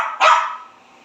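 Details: Pekingese pet dog answering back while being scolded, giving one sharp, bright bark that fades out over half a second in a quiet indoor setting.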